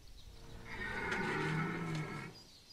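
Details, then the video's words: Red deer stag bellowing during the rut at Chambord, Loir-et-Cher: a single deep, harmonic-rich roar lasting about a second and a half, fairly distant, over a quiet background. "Brame à Chambord Loir-et-Cher Cerf élaphe"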